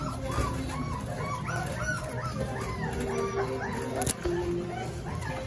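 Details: 26-day-old Rottweiler puppies give a chorus of thin, high whimpers and squeals, over soft background music.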